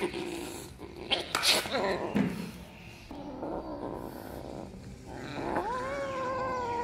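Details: Kitten indoors, one of three kittens chasing each other and playing around the house with a newly arrived kitten; bumps and scuffling noises, then a drawn-out meow that rises and holds steady near the end.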